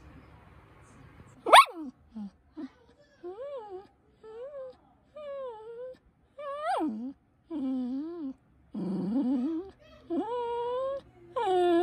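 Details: Pet poodle puppy whining to get attention: a sharp yelp followed by a run of drawn-out, wavering whimpers, each rising then falling in pitch, repeated with short pauses and growing longer and louder toward the end.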